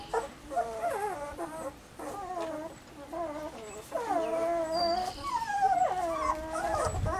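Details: Weimaraner puppies Bailey, Hailey and Jenny in summer, giving rapid runs of short bent whimpers about four a second, then longer drawn-out whines from overlapping pups toward the end.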